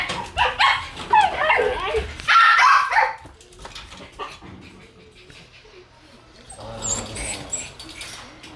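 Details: One-month-old Shiba Inu puppy in a new place for the first time, giving quick high whimpers and squeaky yips in the first three seconds, then quieter rustling, with a few faint high squeaks near the end.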